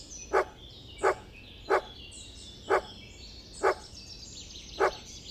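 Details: Dog barking in a steady series of six short, sharp barks spaced under a second apart, with twittering birds chattering high in the background.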